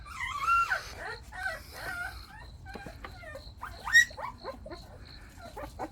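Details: Six Jindo puppies, Baekhyang's litter with one black-and-tan, out of their house and playing outdoors: sharp high whines and short yips, some sliding upward, come in quick clusters, with a loud squeal near the end.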